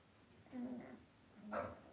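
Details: Cavalier King Charles Spaniel puppies in an indoor home puppy pen give two short, thin whimpers, each a brief nasal whine half a second apart, over a quiet room hum.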